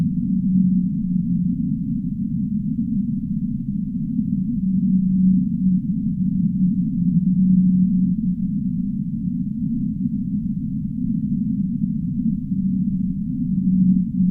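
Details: Whale recorded in the deep sea, giving a series of low, even-pitched tonal moans about a second long, spaced a few seconds apart, set in a steady low underwater roar.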